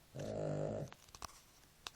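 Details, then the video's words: Nela, a sleeping dog, gives one drawn-out, throaty snore lasting under a second, followed by a few faint clicks and soft rustling. "Perro roncando"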